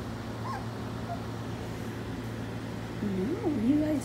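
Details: Four-week-old puppy from Skittles' litter whimpering: a wavering, tonal whine that rises and falls over the last second, set against a steady low electrical hum.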